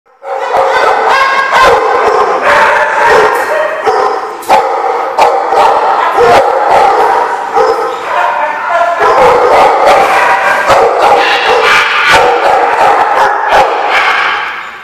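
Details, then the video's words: Dogs at The Barking Lot on 10/10/15 keep up a dense, overlapping chorus of barks, yips and whining yowls, with sharp knocks and clicks scattered throughout. "The Barking Lot"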